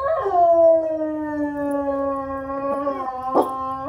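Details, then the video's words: A single long, steady howl from household dogs, starting higher and sliding slowly lower, then holding a smooth even pitch with strong overtones; a brief knock sounds near the end. "my dogs howling"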